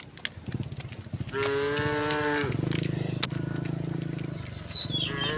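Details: Resident cows wander on a road: a steady loud moo, then a lower droning bellow with pulsing texture, a sharp click, and high chirping bird notes near the end.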